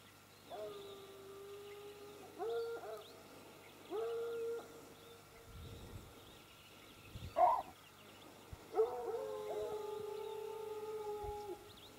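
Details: Sparks hounds giving a run of drawn-out, even howls, several lasting one to two seconds, with short gaps between them and a faint thump midway through; little other noise.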